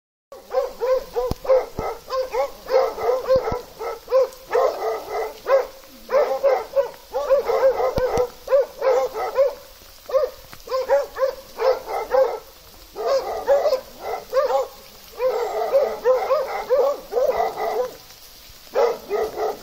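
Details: A Plott hound, kept with an American foxhound in Russia, barks in loud, ringing bursts, one after another with barely a pause.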